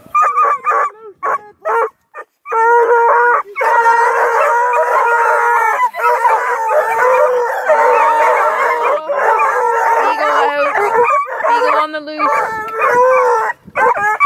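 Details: Kennel of about two dozen registered scent hounds near Kingston, Ontario, Canada: Bluetick and Redbone Coonhounds, Black and Tans and Beagle mixes, baying and bawling together in a dense, sustained, overlapping howling chorus, with a few short barks at the start.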